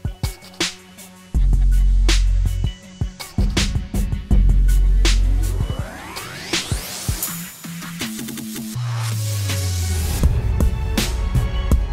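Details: Loud electronic dance music with heavy bass thumps, sharp beats and a rising synthesized sweep; no animal voice stands out.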